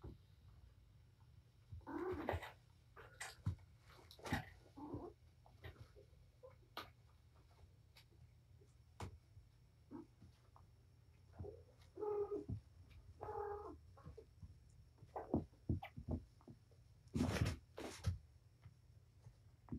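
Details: Indoor playtime of a mother cat named Patience with her litter of five kittens at Purrfect Pals; a few brief mewing calls, spaced well apart, rise over a steady low hum, clicks and bumping noises.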